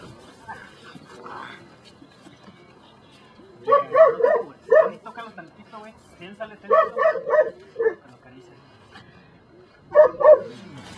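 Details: Belgian Malinois from the des Champs kennel in Mexico during control work for personal protection training; loud harmonic barks come in short clusters of two to four, with a pause between bursts, after a stretch of human speech at the start.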